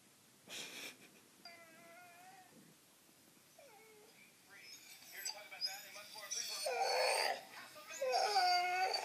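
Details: Pet dog indoors, reacting to a recording of his own crying and barking; high, drawn-out whines that bend upward and dip, growing louder and more frequent toward the end, with a human voice and household noise early on.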